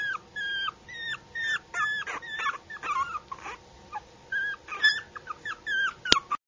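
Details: Yorkie puppy whining almost without pause, high, slightly bent whimpers repeated several times a second in short rhythmic bursts, some rising into squeaks, with a soft indoor hum beneath.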